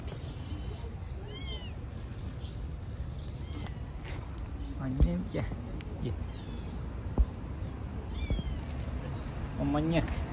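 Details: Stray kittens living on the street, playing: several thin, high-pitched mews, each rising then falling, repeated at intervals, over men talking nearby and a steady low outdoor rumble.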